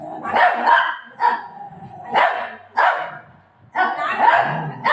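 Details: Indoor Golden Retriever reacting, said to be angry, after being told its owner is leaving; five or six loud, rough barks spaced about a second apart, a woman's voice faintly in between.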